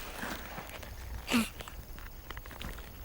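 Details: On the African veld during the pre-dry-season mating period, a male leopard tortoise nudging an uninterested female gives one short, breathy grunt while mating, against quiet outdoor background noise.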